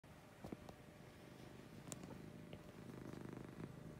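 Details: Lucy, a female pet cat, purring in the morning: a steady low rumbling purr with pulsed rhythm, a few soft clicks and rustles near the start and middle.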